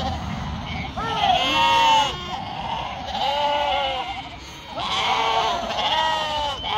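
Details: A yearling ewe, kept in a flock in northern Spain, gives loud quavering bleats. They come in bursts about every two seconds, with short pauses between them, over a low background murmur.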